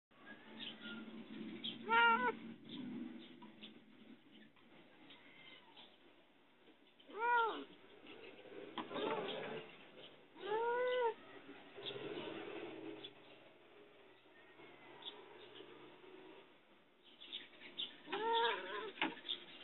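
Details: A locked-in cat asking for help gives loud, drawn-out meows at about 2, 7, 11 and 18 seconds, each rising then falling, with quiet, muffled background between calls.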